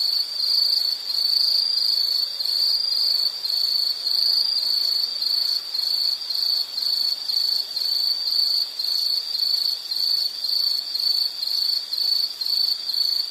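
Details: Continuous shrill insect chorus for calming background listening, a bright high band pulsing about twice a second in an even rhythm, with fainter overtones higher up and a quiet backdrop.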